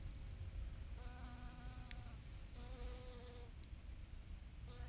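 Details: Honeybee foraging on pale pink oregano flowers: a steady, even-pitched buzzing hum rich in overtones, heard in bursts of about a second with short gaps as the bee moves between blossoms, over low rumbling background noise.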